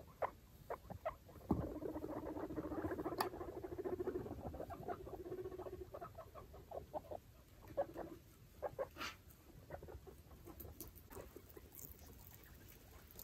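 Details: Five baby foster guinea pigs and mother Chalupa explore their clean cage; a sudden knock, then a low vibrating rumble lasting several seconds, followed by scattered clicks, scrabbling and bedding rustle.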